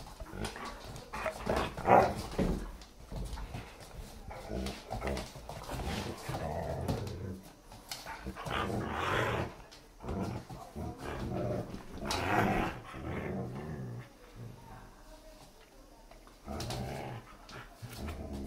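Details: Playful growling from a German Shepherd and a Siberian Husky puppy tussling over a new chewy toy indoors; low, rumbling growls rise and fall in uneven bursts, mixed with rustling and scuffling.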